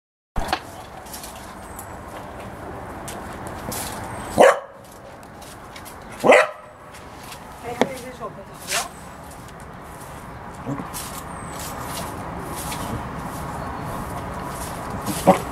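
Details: A Cardigan Welsh Corgi plays, repeatedly shaking a toy. A few sharp, isolated barks sound a couple of seconds apart over a steady hiss of background noise, with human speech nearby.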